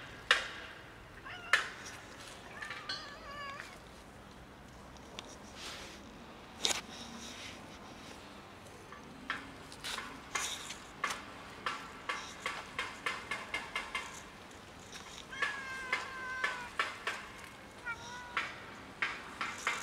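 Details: Two cohabiting cats on the verge of fighting over food in winter cold give short, wavering meows and strained yowls, some sliding down in pitch. Frequent sharp clicks, likely chewing or tapping, fill the background.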